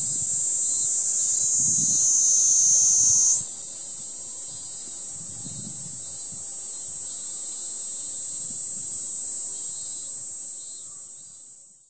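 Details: A Kaempfer cicada sings near a welfare hall in Moroyama, Iruma District, Saitama, Japan, on 20 July 2016: a steady, very high, hissing buzz that shifts slightly higher partway through.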